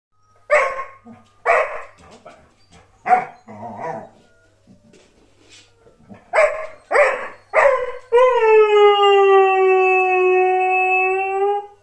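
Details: A Border Collie in Ireland gives a string of short yips and barks, then breaks into a long, steady howl.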